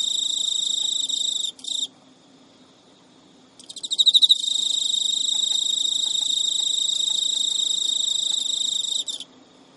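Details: Male Emma field cricket in captivity, Japan, early September 2011 at midnight, courting a rejecting female; short trill fragments, a silent stretch, then loud pulsed chirps leading into a long steady high trill that stops abruptly.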